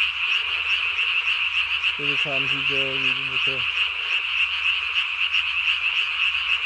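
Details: Japanese tree frog at night, 3 May 2020, vocal sac inflated under the chin; one short run of flat, buzzy croaks lasting about a second and a half, set against an unbroken high chorus of other callers.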